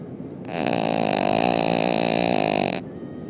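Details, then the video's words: Canon, a pet dog described as a very loud snorer, asleep: one long, steady rattling snore lasting over two seconds, a dense, throaty vibration with a rough grinding tone, starting and stopping abruptly. "Loud, Snoring Dog"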